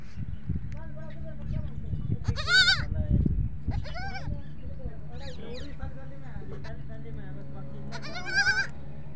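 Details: Baby goats at a goat farm bleat for their mother. Three loud, shaky, rising-falling bleats are spaced several seconds apart, with softer calls between them and a man talking throughout.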